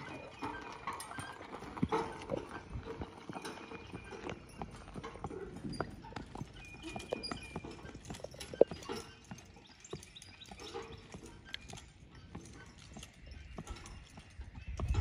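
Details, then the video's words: Percheron horse being driven, hoofbeats as scattered clip-clop knocks over a steady rumble with faint creaks and mid-range hiss throughout. "Percheron driving"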